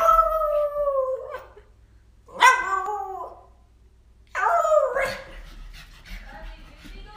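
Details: Black husky running around in circles gives three drawn-out, wavering howling whines, each starting strong and sliding downward, separated by short pauses, with a person's voice asking about going on a walk just before.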